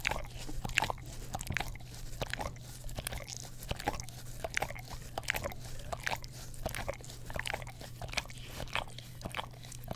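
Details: Dog, an English Cream Golden Retriever, licking an Orapup tongue cleaner brush next to a Blue Yeti stereo microphone; quieter, crisp wet ticks and smacks in a fast, uneven run over a faint steady hum.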